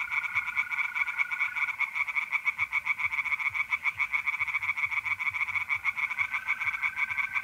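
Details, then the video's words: Mid-April night in north-east Italy: singing tree frogs in a pond produce a nonstop stream of rapid, harsh croaking pulses, while a mole cricket's steady trill sounds at the start and again near the end. "relaxing singing tree frogs in pond and trilling mole crickets by night"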